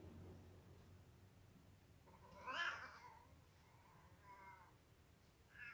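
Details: Kittens having dinner alongside adult cats indoors; a single loud, drawn-out meow rises and falls midway, followed by a few softer, shorter mews, over a low background hum.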